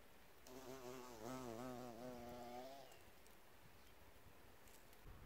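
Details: Bee at an insect hotel, filmed outdoors in 4K on phones: a steady buzzing hum with stacked harmonics, swelling as the insect passes close for about two seconds, then fading into faint background noise.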